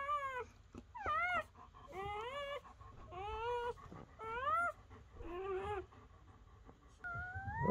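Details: Newly born German Shepherd pups whimper on the night of their birth, kept with their mother under a dim light. Rising-and-falling whines repeat about once a second, each half a second long, over faint indoor rustling.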